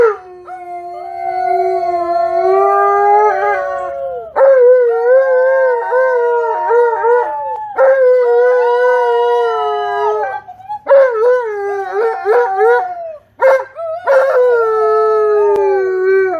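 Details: Tonka, an Alaskan Malamute, howls excitedly as nephews, nieces and a neighbor visit; long sustained tonal howls with rich harmonics, wavering and dipping in pitch, broken by short gaps and overlapping voices near the end.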